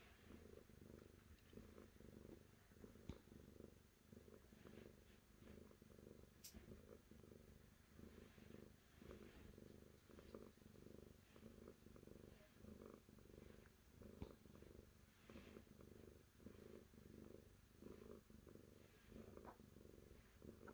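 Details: Continuous cat purr, a low buzzing rumble beating in regular pulses about twice a second for the whole stretch, with a couple of brief clicks along the way.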